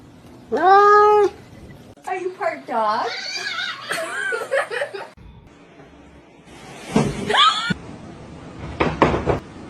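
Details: Kittens meowing indoors: one loud, drawn-out mew opens, followed by wavering cries mixed with a woman's talking, then another rising mew and short clicks and bumps.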